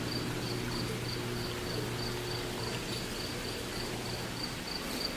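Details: Close-by cricket indoors in a pool room, repeating brief high chirps roughly every third of a second against a continuous low electrical hum that fades out near the end.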